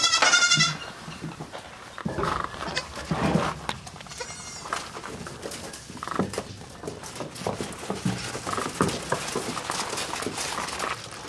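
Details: Young goat during bottle feeding, a bleat near the start followed by irregular short bleats and busy rustling, slurping handling noise throughout.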